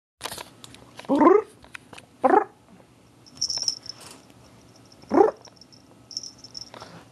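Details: A domestic cat that has always hated a certain noise, calling out in reaction to it: three short harmonic cries around one to two seconds apart with a later fourth, a high whine in the background, a person speaking afterwards.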